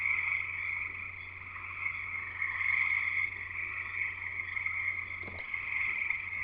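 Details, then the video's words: Many frogs singing together at a house in Escanaba, Michigan's Upper Peninsula, making an unbroken, jungle-like wall of high trilling that rises and falls in loudness; a sharp click near the end over a low constant hum. "Frogs Singing in the U.P."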